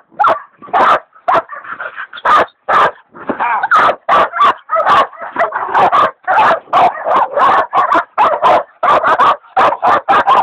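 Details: Dixie and Dollie, hog dogs, bay a big sow hog while the leopard dog Dollie is still in training; continuous barking with overlapping yelps and drawn whining tones between sharp barks.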